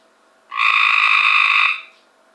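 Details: Cope's gray treefrog caught from a backyard pool, calling: a single harsh, buzzy trill lasting about 1.2 seconds with strong, even pulses and stacked bands, starting and stopping abruptly against a quiet background.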